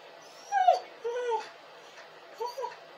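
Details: A crying dog lets out two sharp, high whiny cries, followed by a pair of softer, brief whimpers.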